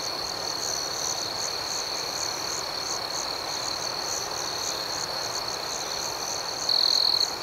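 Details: Chorus of night crickets: a sustained high trill with rapid pulsed chirps of roughly four per second above it, and one louder stretch of trill swelling up near the close.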